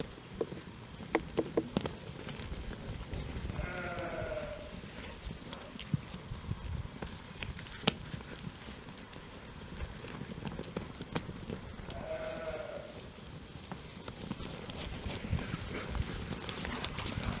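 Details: Year-old young Jura sheep grazing outdoors, with the breeding ram in the flock for a few days; two tremulous bleats about eight seconds apart, set against low rural background noise, trampling and sharp clicks.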